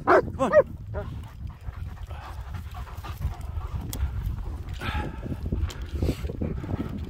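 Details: German Shepherds, two males named Nico and Zeeva, out in the hills; a couple of sharp high yelps at the start, then panting-like rustle and wind with quieter sounds.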